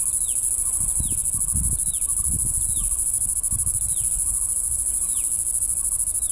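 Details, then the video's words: Shrill, unwavering high-pitched drone of a red-nosed cicada in natural habitat at Bengaluru, with a regular series of brief falling chirps about every 0.8 seconds and soft low rumbles beneath. "Red Nosed cicada ,Bengaluru"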